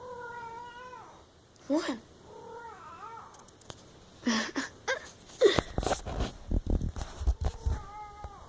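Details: Pet cat meowing several times, with long level wails, a short sharp upward yelp and a wavering cry, mixed with a woman talking to it and clattering handling noises near the phone.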